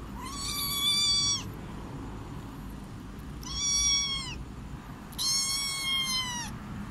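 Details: Domestic cat meowing three times, each a drawn-out, bright, harmonic-rich meow of about a second, slightly falling at the end, separated by quiet pauses with faint background hiss.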